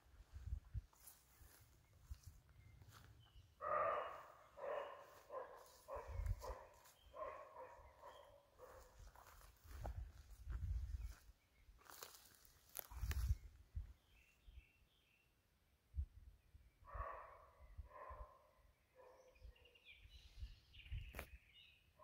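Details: A barking deer in Halland, Sweden, in May, gives hoarse, dog-like barks in quick bursts over low rumbling background noise.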